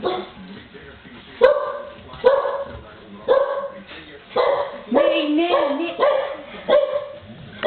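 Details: Several Tosa Inu puppies in a kitchen make repeated high yelping barks and a wavering whine, bursts spaced about a second apart, with background voices.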